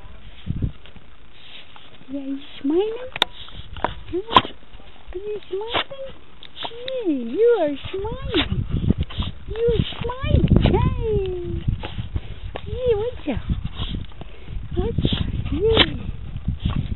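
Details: Red heeler Australian Cattle Dog, shown giving a submissive smile, voicing wavering whines that rise and bend in pitch, some short and some drawn out, in bursts with pauses between; low rumbling handling noise in the background.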